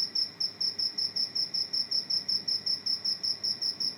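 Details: Indoors after entering a home, a cricket gives a loud, shrill, ringing chirp pulsed in a regular rhythm of roughly two and a half chirps each second, with nothing else audible.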